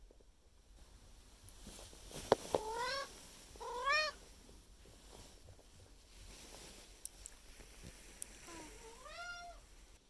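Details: Indoor Maine Coon cat Miku pestering her owner in the morning for food, recorded May 2021; three meows, two short rising calls close together then a longer arching one after a pause, with scattered clicks and knocks.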